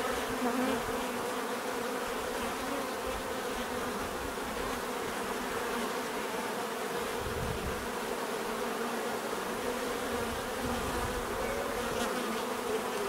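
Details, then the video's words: Continuous droning of many bees in nature, a thick even hum lasting the whole stretch, with occasional low thumps and a single insect buzzing nearer at the start. "bees therapy relaxing natural buzzing sound"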